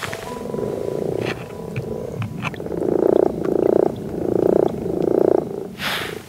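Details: Common frogs croak in a chorus at night in a garden pond in Yorkshire in spring breeding season, a low, purring grumble rising and falling in repeated bursts; toads are also present and mating in the water.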